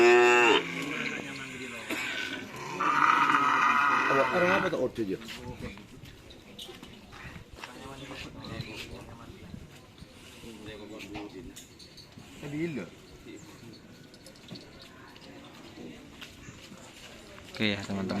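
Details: Cattle being readied for a karapan sapi bull race at a field in Asemanis, Pamekasan; a loud drawn-out harmonic moo opens, then fades into a noisy crowd with speech, engine-like rumble and another short bellow near the end.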